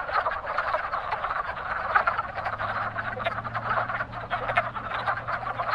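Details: Pondside spring chorus of breeding wood frogs, dense overlapping clucking croaks, joined partway through by a faint steady low hum.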